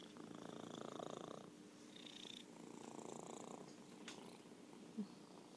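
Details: Orange tabby cat Merlin purring in a quiet room, low buzzing rumble in two long breath-length swells, then a softer pause and a brief click near the end.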